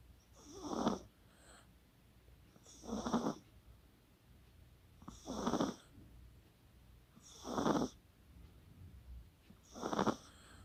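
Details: Kaka, a sleeping Chihuahua, snores beside Coco the poodle, recorded 24 October 2020: five rasping, breathy snores, each under a second long, coming at a steady pace of about one every two and a half seconds, with quiet gaps between.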